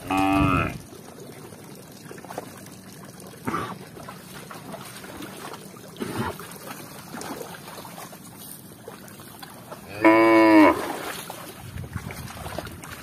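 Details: Tame village cattle drinking at a village lake in Indonesia moo twice, a short call at the start and a louder, longer one ten seconds later. Faint trickling and splashing sounds come in between.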